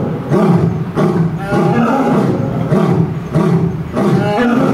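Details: Captive lions at Tennoji Zoo roar in turn: the male Gaou calls and the female Luna responds. Short, deep, coughing grunts come roughly every second and a half, rough and low in pitch.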